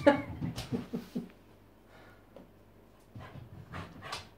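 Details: Lhotse, a female Tibetan Terrier, protests indoors against taking her worming tablet. A quick run of short whimpering yelps falls over the first second and a half. Only soft breathing and a faint room hum follow.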